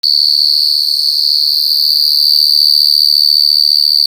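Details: Large cricket (gangsir) recorded directly in the wild: a loud, unbroken, high-pitched shrill tone with bright overtones, steady in pitch and volume throughout, with no other sounds.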